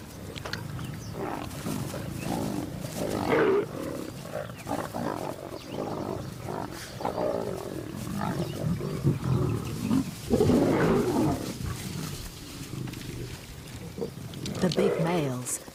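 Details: African lion pride, big males driving off hungry adolescent lions that broke the pride's feeding rules; rough, low snarls and growling bursts come in uneven waves, loudest near the middle and the end, with grumbling between them outdoors.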